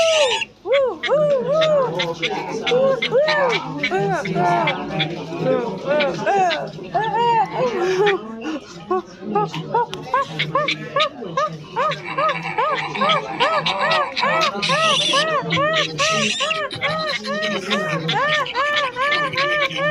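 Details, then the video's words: Silvery gibbons in a long bout of rhythmic hooting, many short arched notes repeated about twice a second, growing denser and slightly higher toward the end, with occasional noisy bursts. "The Silver gibbons sound effects"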